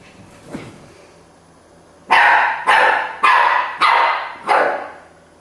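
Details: Keeshond barking: after a quiet start, five loud, harsh barks come about every half second, each bright and full-toned, with a faint earlier sound near the beginning.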